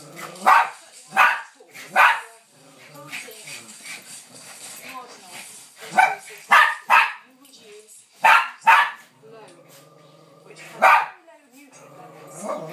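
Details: Bichon Frise at play with a Lowchen on a settee in a mad five-minute frenzy. Quick high yaps come in clusters of two or three, with quieter whines, scuffling and low human voices in the gaps.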